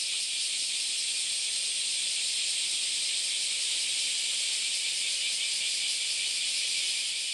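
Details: Many cicadas sing together on Kyoto's Philosophy Path in Japan on an August Sunday morning: a dense, steady, high hissing wall of sound, unbroken for the whole stretch.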